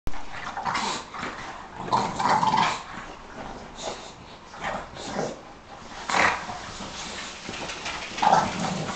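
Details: Dogs, a Bulldog, a Sarplaninac and a Staffordshire bull terrier, play fighting on a couch, with Bob and Alfie going at it: rough throaty growls and snarls come in uneven bursts, with occasional sharper yelps and rustling throughout.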